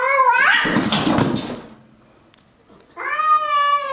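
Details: Pet cat Pancakes battling a stray: a yowl breaks into a harsh, noisy hiss, then after a brief pause a loud steady moaning yowl begins.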